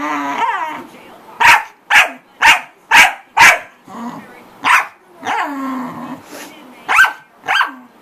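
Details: Corgi. A corgi barks over and over in sharp, high, clipped bursts, about two each second. Whiny yelps and a few grumbling sounds break up the barking, and a person's voice can be heard faintly.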